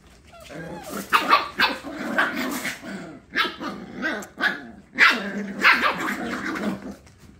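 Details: Rowdy Scottish Terrier puppies of one litter playing rough indoors, a string of squeaky yapping barks and snarling growls in quick bursts, with a person's voice heard among them.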